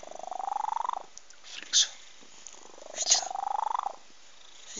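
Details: Domestic cat asleep and snoring, two long rattling inhalations that rise steadily in pitch with a fast buzzing flutter, separated by soft breathy exhales and a couple of brief rustling noises.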